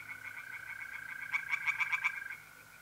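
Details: Singing tree frog by a pond at night, mid-April, North-East Italy: a run of fast rasping croaks that grows louder in the middle and then fades, with mole crickets trilling steadily behind.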